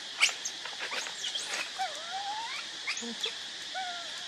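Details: Hungry baby monkey Leo, or Rainbow, whimpers for its mother's milk. Bending, whistled whines rise and fall, mixed with brief high squeaks, over a constant droning insect chorus.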